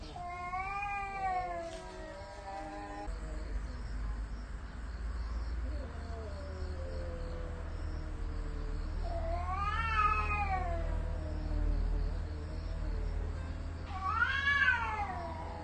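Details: A cat caterwauls in rising and falling drawn-out yowls, three main wails spread over the stretch, with a steady low rumbling hum underneath throughout.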